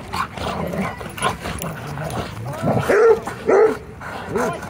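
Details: Several dogs, a German Shepherd, Golden Retriever, Australian Shepherd and Rhodesian Ridgeback among them, play a little rough at a dog park around sunset. Scattered noisy barks and scuffling come first, then three or four higher, tonal yelping barks in quick succession.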